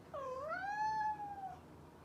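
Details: A single long meow from a house cat. It dips, then rises and holds a steady tone for over a second before trailing off.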